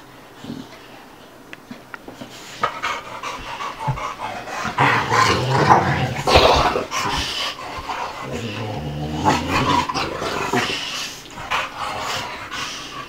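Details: A two-year-old American Bulldog and a five-month-old Dogue de Bordeaux playing together: rough, noisy bursts of growling and huffing, with scuffling, rising to a loud tussle mid-way and a harmonic growl near the end.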